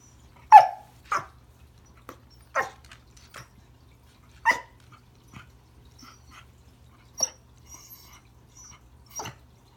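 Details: Remington the Pembroke Welsh Corgi trying to say hello to a new toy under the Christmas tree: a quick string of short barks and yips, loudest early, thinning to scattered softer ones with faint high squeaks, over a low hum.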